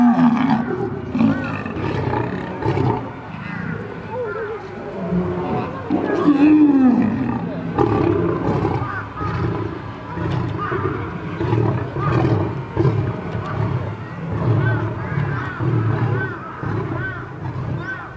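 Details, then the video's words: Fighting lions give a drawn-out scene of overlapping snarls, grunts and short growling roars, with one clear rising-falling roar near the middle and faint music behind. "Lions vs Lions | Lion fights"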